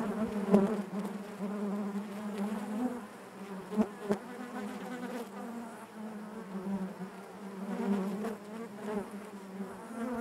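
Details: Honey bees inside their hive: a dense, steady drone centred low with layered harmonics, its pitch wavering slightly as individual bees pass close, plus scattered soft clicks and taps against the hive.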